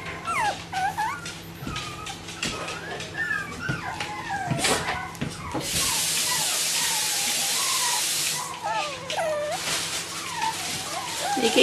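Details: Bichon Frisé puppies from a small kennel making a steady stream of high, wavering squeaks and whimpers, many overlapping. A burst of running water hisses in the middle, and there is faint background clatter.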